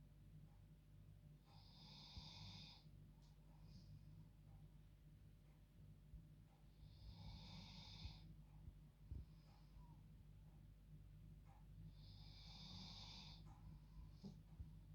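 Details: Female dog asleep in her bed at bedtime, snoring like a human: three long, hissing, breathy snores roughly every five seconds, each with a softer rasp after it, over a steady low indoor hum.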